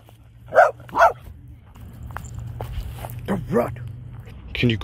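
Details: An applehead Chihuahua gives two sharp, high barks in quick succession at a dog park while meeting a French Bulldog, with people talking nearby.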